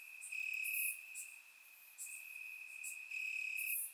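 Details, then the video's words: Crickets chirping in grass on a warm summer night in Bulgaria, recorded with a surround microphone: a steady high trill runs throughout, with louder trilled bursts and higher buzzy chirps coming in every second or so. "Cricket Sounds - Crickets Chirping at Night"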